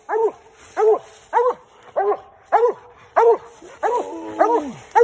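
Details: Treed raccoon on a night coon hunt draws steady baying from a Redbone Coonhound: eight strong, harmonic barks spaced about every 0.6 seconds, a faint man's voice near the end.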